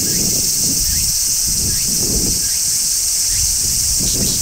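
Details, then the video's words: Large brown cicada singing on a tree in midsummer: a steady, high, sizzling shrill that never breaks, with faint short rising chirps and low rustling and handling noise underneath. "Cicadas Sounds | Cicadas Singing in Midsummer | Large Brown Cicada"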